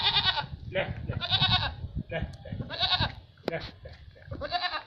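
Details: Two female Barbari dairy goats on a farm in Etawah, Uttar Pradesh, India, each giving one to one and a half litres of milk. Four loud, nasal, harmonic bleats, each under a second long, spaced roughly every 1.3 seconds, with low background rumble and faint voices.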